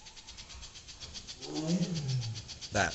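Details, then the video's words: A tiger at a wild animal sanctuary gives a low, rumbling moan that swells and then fades, at about 7:50 pm on a 60° evening after the rainy season; peacocks also heard. "And that's a tiger that you're hearing right now. That"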